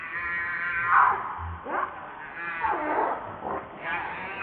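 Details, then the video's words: Baby monkey named Lucie giving soft, wavering harmonic cries, a drawn-out whine near the start followed by shorter rising and falling wails, with low background noise. "Very Pitiful Lovely Baby Monkey Lucie"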